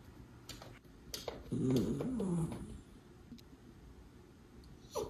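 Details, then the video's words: Miniature Schnauzer, one of two brothers named Levi and Lucky, in Aroostook County, Maine, on March 14, 2022, playing ball; a short wavering whine around the middle, with snuffling breaths and small knocks in a small room. "Play ⚾️ Ball? - Miniature Schnauzer Brothers"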